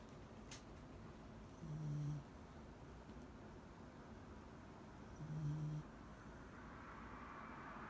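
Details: Mari, a sleeping Shiba Inu, snoring softly; two low, rumbling snores about three and a half seconds apart in a quiet room, with a faint click early on.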